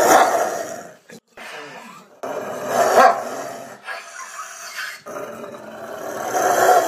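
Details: Rottweiler producing uneven growls and snarls in separate bursts with quiet gaps between them, the last burst building louder.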